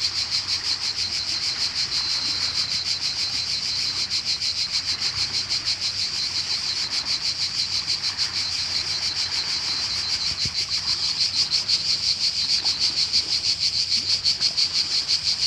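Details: Summer cicada chorus in Croatia, an unbroken shrill buzzing made of quick regular throbs, roughly three each second, swelling slightly louder toward the end; a soft low background murmur.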